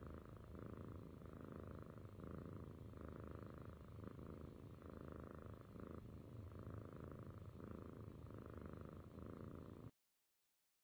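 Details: Close, steady purring from a cat: a deep, even rumble alternating between inhaled and exhaled phases roughly every second, stopping abruptly near the end, with nothing else heard.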